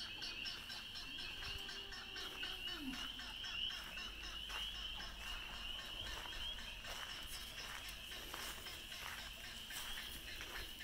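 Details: A dense moonlit spring night chorus of Spring Peepers on a farm sanctuary: countless high, piping peeps blur into a steady shrill ring. A low, falling cow moo sounds briefly near the start.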